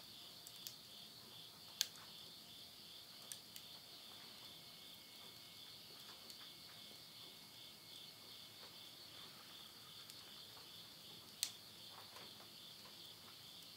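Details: Midnight insect voices at the close of summer, September 2020, near Yurihama, Tottori, Japan: an even, high-pitched shimmering trill without pause, broken now and then by sharp snaps of firewood burning in a stove.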